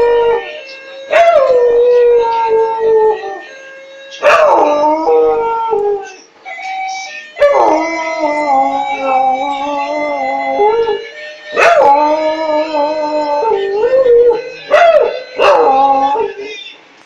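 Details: Dog howling along to music, singing with it. Long, wavering tones slide up and down in pitch, coming in phrases of a few seconds separated by short breaks, over a steady musical accompaniment.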